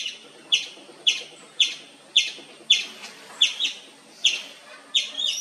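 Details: Wild Indian palm squirrel chirping without pause, a rhythmic string of shrill chips about every half second, some doubled or with a brief trill near the end, over low steady background noise.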